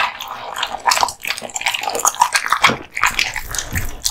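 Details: American Bully (Pit Bull), a male dog born 2016, eating raw meat and bones: wet smacking, tearing and crunching bursts at irregular intervals, with short quiet gaps between bites.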